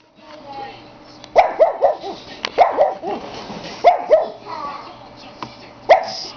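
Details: Dog barking in a drawn-out, howling style, a few sharp yelping barks in quick pairs and triplets with short pauses between, plus a person's voice in the background.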